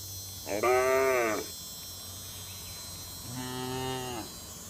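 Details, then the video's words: Cattle from a herd wandering on a road moo twice, a full drawn-out call followed by a lower, softer one a couple of seconds later, with a faint constant hum behind. "Rombongan sapi berkeliaran di jalan suara sapi bunyi"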